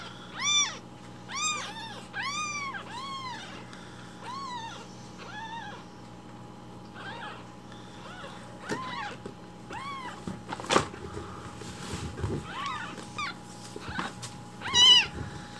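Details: Hungry rescued baby kittens call loudly for morning milk while it is being prepared; a run of high, arched mews comes about once a second, then scattered softer cries and a few handling noises.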